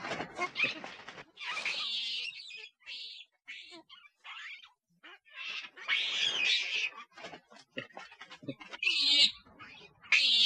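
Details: Loud monkey calls, said to draw nearby monkeys in, come as harsh high screeches and chattering bursts, with short pauses between rough noisy outbursts and a final sharp shriek.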